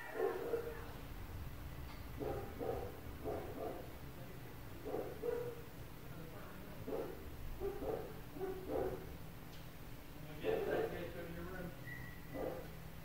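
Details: Dogs barking nonstop in the flats surrounding an apartment, the neighbours' animals giving short, gruff barks in rapid bursts, some doubled, with a few higher yips over a constant low hum.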